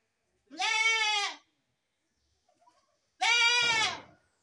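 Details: Two clear bleats from a baby goat, each nearly a second long, harmonic and slightly wavering, with a soft rustle between and a brief low thump at the end.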